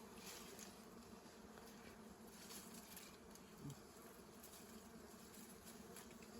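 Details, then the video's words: Wild bees being taken from their nest in Cambodia, a steady dense buzzing hum throughout with people talking in Khmer in the background. "Take wild bees"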